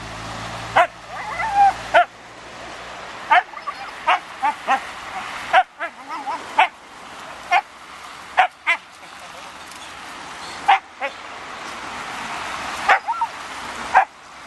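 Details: Siberian Husky Raign freaking out at a ball or balloon: sharp harmonic barks and yips come in uneven bursts, with short bent whining notes between them and faint rustling noise behind.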